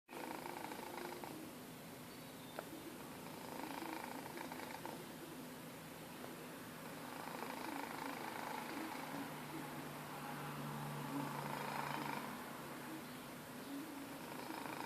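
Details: A sleeping domestic cat snoring indoors: soft, breathy rasping that swells and fades in slow waves, with a low hum through much of the recording and no other clear sounds.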